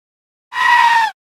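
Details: Screaming sheep: one loud, high, strained bleat lasting just over half a second, steady in pitch before dipping slightly at the end, set against silence.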